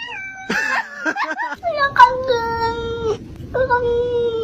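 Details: Cats producing odd vocal noises: a few short squeaky calls, then long, steady, drawn-out meows held at an even pitch, with a slight fall at the end of each, indoors.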